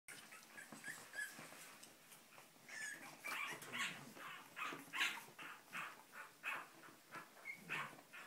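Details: Cavalier King Charles Spaniel puppies from the litter of Sarlat and Chloé, born 7 April 2014 in Spain, wanting to get out; a rapid run of high, thin yelps and squeals, several overlapping, with brief whimpers between.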